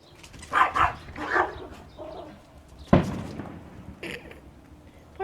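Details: Brown Chihuahua barking at a white dog while it fetches a toy during play; a few sharp barks mixed with human speech and laughter, plus a thump partway through.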